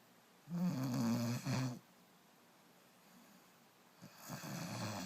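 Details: Sleeping puppy snoring indoors: two low, rasping snore breaths close together in the first two seconds, then quiet breathing and a soft rustle near the end.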